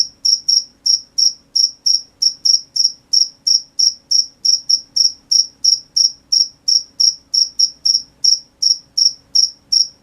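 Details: A night cricket chorus of bright, high chirps pulsing roughly three times a second, mostly even but with occasional doubled beats, over a very quiet low background.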